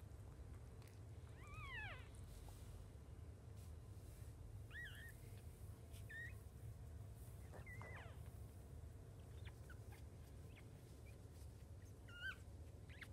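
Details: Newborn litter of five Jack Russell Chihuahua mix puppies beside their mother, giving repeated high whimpering squeaks, some arched and falling, others brief chirps, spaced a second or two apart over a constant low hum.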